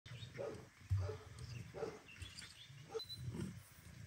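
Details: Domestic male cat returning home and calling to the female Kira, as if asking forgiveness for leaving her alone; short soft meows repeated about every half second to second, with low background rumble.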